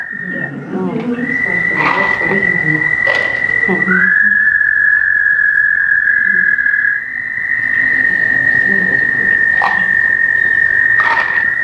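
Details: An American toad gives its summer call, a long, steady, high musical trill that holds its pitch for several seconds.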